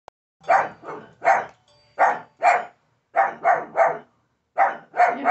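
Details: A pug gives short, sharp barks in quick bursts of two or three, barking at a Chucky doll.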